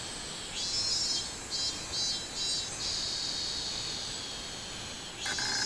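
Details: Song of a robust cicada, 24 July 2016: a series of high, throbbing buzz pulses lasting a couple of seconds, then a steady shrill drone, and a fresh loud burst starting near the end.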